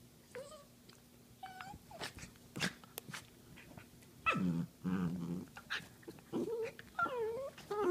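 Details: Couch wrestling dachshund: scattered squeaky whines and sharp snaps at first, then two deep, throaty growls in quick succession, followed by wavering, whining growl-yodels as the tussle goes on.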